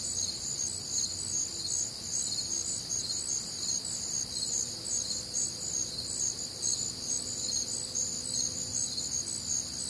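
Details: Crickets on a warm, humid Midwestern summer night, a dense chorus of high, shimmering chirps in several stacked bands, pulsing steadily without pause, with a faint low rumble beneath.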